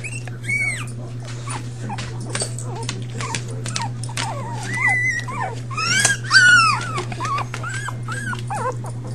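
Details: Five young pups crying together: a busy stream of thin, upward-bending whines and short yips, with a loud cluster of stacked yelps toward the end. A constant low hum runs underneath.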